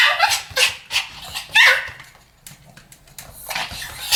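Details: Duet barking by Pomeranians: several shrill, high-pitched yips spaced about a third of a second apart, a short quiet pause, then more sharp barks near the end.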